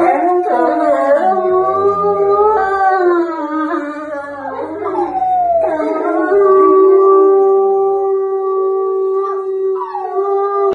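A husky howls in long, wavering tones that slide up and down, like singing.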